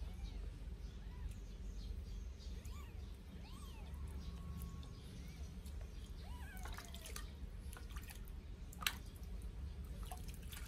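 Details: Two 8-day-old Sphynx kittens mewing during their first bath: faint, high, arched mews rising and falling, scattered through the clip over dripping and splashing water and low background rumble.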